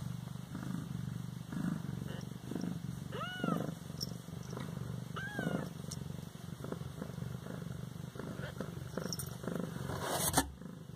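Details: Siamese kitten, 18 days old, in Bas-Saint-Laurent: steady low purring throughout, broken by two short arched meows near the middle, with a few faint clicks and a brief sharp noise near the end.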